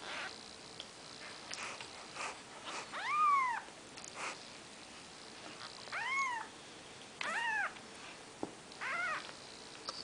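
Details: Four-day-old Maine Coon kittens from Nikita's litter crying indoors: a handful of separate, thin arching mews, some rising then falling, spaced a second or two apart, with soft rustles and clicks between.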